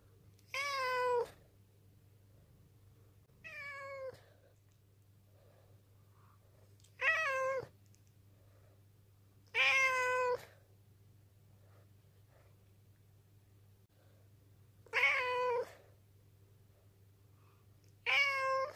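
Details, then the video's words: Ten, a black rescued cat taken in from a mountain village in 2013, meows to appeal, in a low voice despite its cute sound. Six drawn-out, slightly wavering meows come about every three seconds over a steady low indoor hum. "にゃ〰️ﾆｬｰとアピールする保護猫 A cat that makes a low voice even though it sounds cute."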